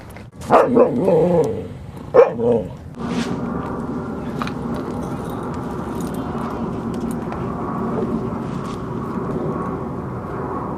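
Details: Dogs Rosy and Rocky playing at Seal Point Dog Park on the western side of San Francisco Bay, February 10, 2015: a few sharp, clustered barks in the first three seconds, then steady outdoor background hum.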